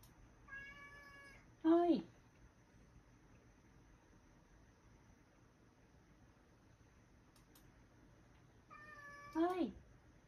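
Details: Male rescue cat meowing at an elderly woman about to leave home; two meows several seconds apart, each starting with a soft level note and ending in a loud, steeply falling cry, quiet indoor background.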